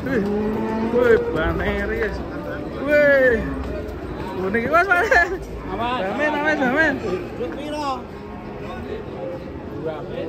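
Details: Cattle coming down off a truck: drawn-out low moos early on, then several arched, wavering calls mixed with shouting and crowd noise.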